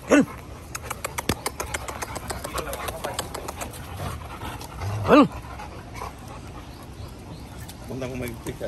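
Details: Dogo Argentino in a yard gives two short, loud barks about five seconds apart, with people talking and faint clicking in the background.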